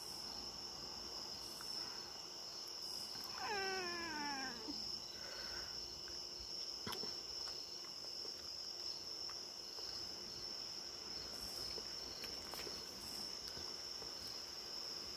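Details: A Maine Coon cat (Felis catus) enjoying time outdoors gives a single drawn-out meow that slides downward, over a steady background of buzzing insects.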